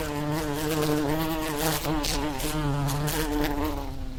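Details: Bee heard in the wild giving a continuous droning hum, pitch wavering gently up and down, with rustling noise flickering through the higher range.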